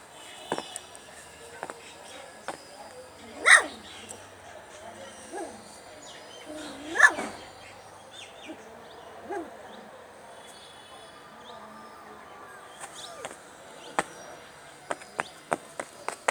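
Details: Hungry puppies crying for their mother and craving milk and food: two loud, high-pitched wailing cries stand out a few seconds apart, with softer whimpers between them and scattered clicks in a quiet background.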